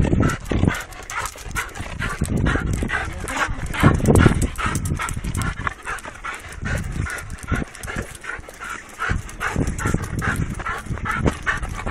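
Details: Restless Labrador Retriever panting rapidly and irregularly, with broadband huffing bursts, faint whines and some movement noise throughout.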